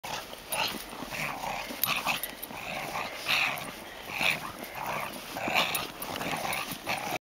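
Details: Border Collie dog playing in snow, very excited at the sight of a giant snowball; rough, growly yips and whining bursts come every two seconds or so, uneven in loudness, with steady background hiss.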